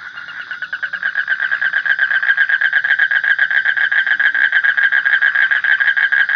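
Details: Starting softly, a frog's pulsed, buzzy croaking swells into a loud, even rhythm of about four notes per second that carries on unbroken to the end.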